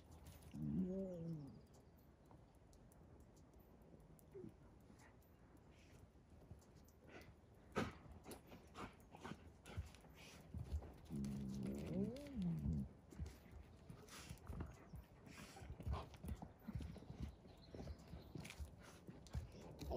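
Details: Wolves at the zoo in Järvsö, Sweden, living outside a hotel; two brief wavering, whining calls with layered tones rise and fall near the start and again around twelve seconds, amid clattering knocks and steady background noise.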